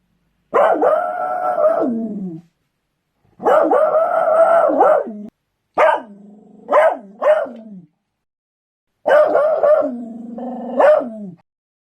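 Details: Beagle in four loud outbursts: two long, steady, held bays, then three quick, sharp barks, and finally a bay that ends in an abrupt bark, with clear silences between.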